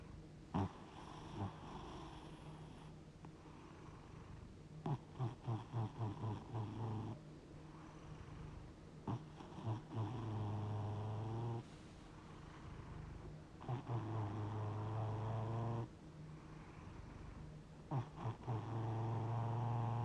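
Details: Domestic cat fast asleep, described as 60 years old, giving low, rumbling snores. Buzzy sustained inhales alternate with stretches of quick fluttering pulses through twenty seconds, with steady quiet room hiss.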